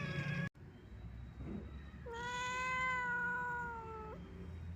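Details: Sad meow from an old, wandering domestic cat: after a brief cut-off sound and a faint murmur, one long, level, clear meow of about two seconds ending with a slight upward flick.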